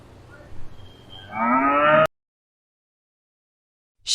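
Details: Cow giving a rising, harmonic moo that is abruptly cut off after about half a second, followed by silence and a brief burst of noise.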